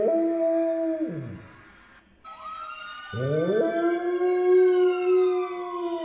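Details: Domestic dog howling like a fire truck siren: two long, steady, tonal howls, each ending in a falling slide, separated by a brief pause.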